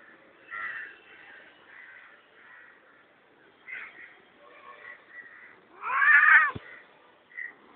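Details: Pet cat shouting meows: a loud drawn-out meow near the end, preceded by softer short mews and a person's quiet voice.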